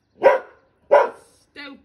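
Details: A 7-month-old male Border Collie puppy in Wales gives two sharp, loud barks at his own reflection in a new garden mirror, followed by a brief word from a person; 2 May 2022.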